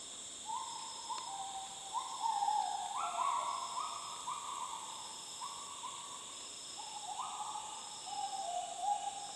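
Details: Gibbons in the jungle of north Borneo, Sabah, in 2011, give clear, hooting notes that step up and down in a loose, flowing sequence.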